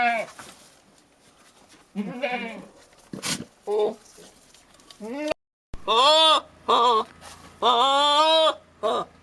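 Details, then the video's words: Male goat making strange yelling noises toward a female to convey his love: scattered soft grunts and brief bleats at first, then loud, wavering, arched bleats in quick runs, some long and quavering. "Funny billy goat yelling weird sounds at nanny goat"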